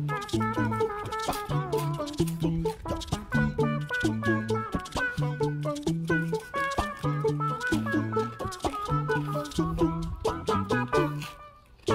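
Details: Bouncy instrumental music with a repeating bass pattern and bright melody plays throughout, with no animal voice heard.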